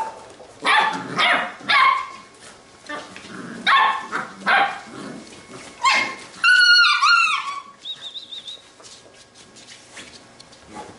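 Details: Playing Labrador retriever puppies from a B litter: a run of sharp, rough barks at irregular intervals, then a high, wavering squeal that bends downward, followed by a brief thin whine and quieter scuffling.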